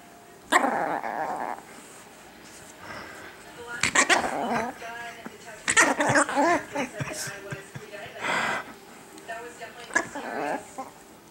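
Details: Little pet Chihuahua Chiquita guarding her toy during a nightly play game at home: bursts of growling and sharp barks come in several spaced flurries, mixed with a woman's speech.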